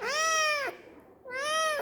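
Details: Domestic cat meowing twice indoors, each call a drawn-out tonal meow of about 0.7 seconds with a short gap between, rising slightly then falling at the end; owner speaking in Tamil before and after.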